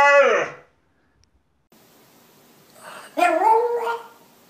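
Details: Pet dog shown 'talking' indoors: a short voiced burst, then a pause with faint room hiss, then a wavering, howl-like moan rising and falling over about a second.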